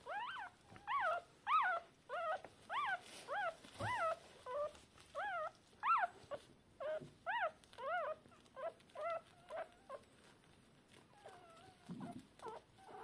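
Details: Newborn Shiba Inu pups, still deaf and blind, calling to find their mother hours after birth. Clear, arched squeals repeat almost twice a second, then fade to softer, scattered whimpers near the end.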